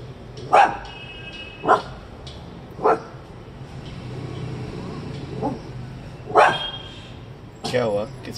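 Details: A small Coton de Tulear barks at passers-by, ignoring commands, giving sharp, bright single barks spaced a second or more apart.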